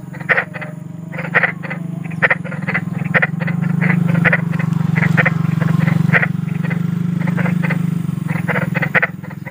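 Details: Big frog calling in the wild, short harsh croaks in bursts of several, roughly two bursts a second, irregular, over a steady low hum that runs through the whole recording.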